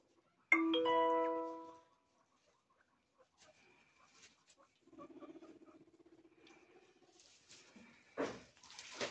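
A guinea pig gives a loud, tonal squeal, then a low, pulsing rumble.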